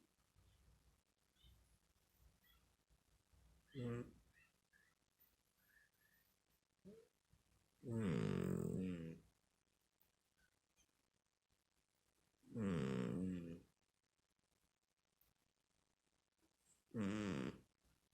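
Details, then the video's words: Domestic cat snoring: rough, broadband snorts lasting about a second each, recurring roughly every four to five seconds, with quiet low rumbling between breaths. "Котик храпит"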